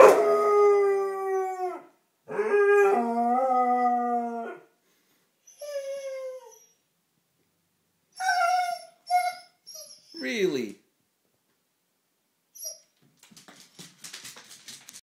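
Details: Duke the basset hound howls to go back to the dog park: long sustained howls with wavering pitch, followed by shorter broken yelps and a falling whine, then scattered quiet clicks toward the end.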